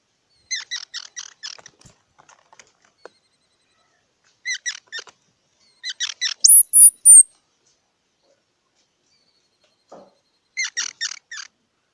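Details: Squirrel giving rapid clusters of short, high chirps in groups of four or five, broken by a bright whistled note held and slurred, then another chirp burst after a pause. Little else audible.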